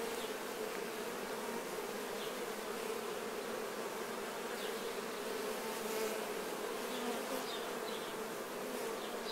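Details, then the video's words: Crowded honey bees cleaning off nectar during the honey harvest: a constant, dense buzzing hum that swells slightly around the middle, flecked with faint short high chirps. "Czyszczące się pszczoły."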